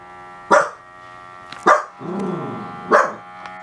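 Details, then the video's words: Pet Dachshund getting its toes massaged gives three sharp barks about a second apart, with a drawn-out growly moan between the second and third. "닥스훈트 멍멍"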